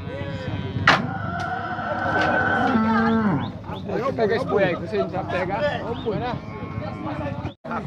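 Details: Bull at a cattle fair gives a long, low, drawn-out moo lasting about three seconds, with people talking loudly all around and crowd chatter continuing after the call ends.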